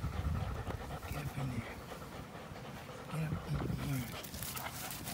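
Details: Two dogs at play, an American Pit Bull Terrier with a Belgian Malinois cross, recorded April 21, 2019: deep throaty growling in bursts at the start and near the middle, over steady rough breathing.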